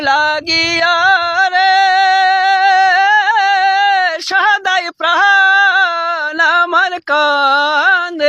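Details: Folk-style vocal music fills the recording, with sustained, wavering voices holding long notes and brief breaks, and no animal sound is present.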